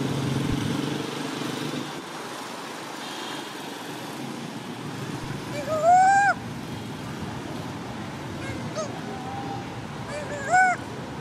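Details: Sleepy monkey named Sweetpea calls for its mom with two drawn-out, rising-then-falling tonal cries about four seconds apart, over steady low rumbling background noise.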